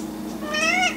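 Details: Single rising-then-falling meow from a hairless cat wanting food, thin and clear over a low household hum.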